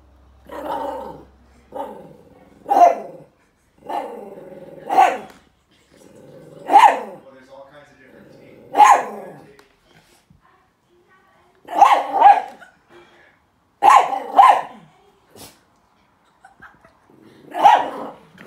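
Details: Joey, a chihuahua silk haired terrier mix, attacks and plays with his owl stuffed toy indoors; sharp growly barks and snarls come in separate bursts every one to two seconds, with quiet gaps between.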